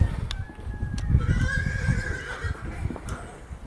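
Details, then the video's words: Horse whinny heard while horses react to a horse alarm ringtone: a drawn-out, wavering tonal neigh of about a second, over steady low rumbling background noise with a few faint clicks. "Horses reacting to Horse Ringtone"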